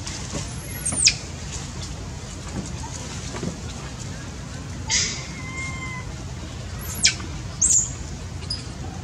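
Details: Baby monkey that has lost its mother and is hungry, crying: short shrill squeals sweeping sharply downward, four of them spread over nine seconds, over a steady broad hiss with faint thin tonal whistles.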